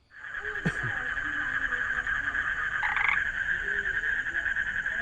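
A frog gives a steady, buzzy trill that holds an even pitch throughout.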